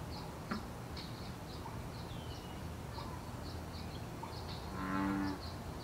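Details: A wild American bullfrog in Canada gives a deep, droning mating call during breeding season over a steady chorus of high chirps.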